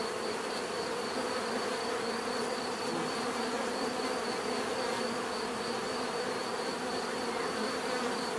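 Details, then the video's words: Bees in a natural setting, a dense steady swarm hum with broad bands around low-middle pitch and a thin high whine held throughout, no pauses or other voices. "bees therapy relaxing natural buzzing sound"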